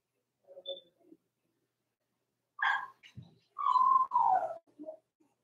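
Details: Four-week-old Cavalier King Charles Spaniel puppies from Robin's litter of six, indoors in their pen: a few soft early yelps, then two louder drawn-out whines around mid-pitch, the second sliding downward, followed by a short squeak.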